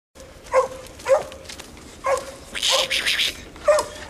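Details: English coonhound pup Ginger in a training session with a raccoon hung in a tree, while an older dog that treed the coon barks in the background: short clipped barks roughly every half second, with a harsh rustling burst midway.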